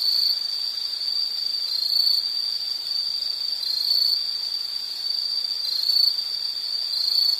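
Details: Insect song for studying or sleep background: a sustained shrill high trill with brief dips and faint overlapping chirps above it, otherwise quiet surroundings.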